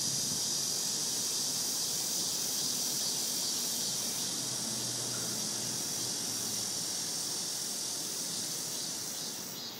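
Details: Summer cicada chorus beneath shady trees, an unbroken high-pitched hissing drone holding steady throughout and fading slightly at the very end.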